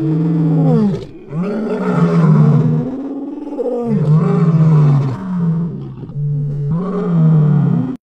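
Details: A male lion roars in deep, throaty bursts that swell and fade one after another, roaring that signals territory and locates distant pride members.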